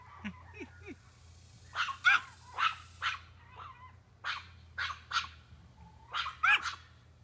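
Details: A male Chihuahua barks at a doe, which stands her ground and stomps back. Sharp, high barks come in uneven bursts, often doubled, with a few thin yips between them and quiet gaps.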